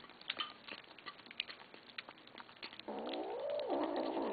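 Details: Kittens growling at each other while eating after begging for food; a rough, wavering growl rises and dips for about a second and a half at the end, following scattered clicks and light chewing noises.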